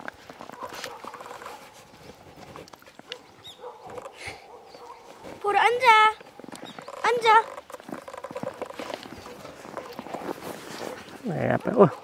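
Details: Jindo dogs Por and Ami on a morning walk through fresh snow that fell overnight, near a countryside woodworking workshop. Two short, high, wavering whines or yelps come near the middle, amid crunching footsteps and a man talking.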